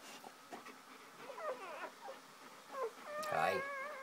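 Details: Mother dog with her first three newly born puppies, whimpering and whining in short wavering cries that end in a louder, sustained nasal whine, with faint clicks and rustling around her.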